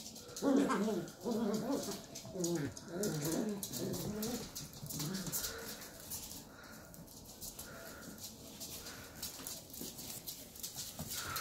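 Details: Two Shetland Sheepdog puppies, 11 weeks old, in rough play indoors: a busy run of short growly yaps and whiny grumbles over the first five seconds, easing into softer scuffling, thumps and the odd squeak.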